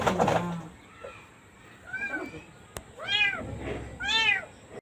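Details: Domestic cat meowing among handling noise: a faint mew, then two louder arched meows about a second apart, over a background hum, a sharp knock and some muffled voices.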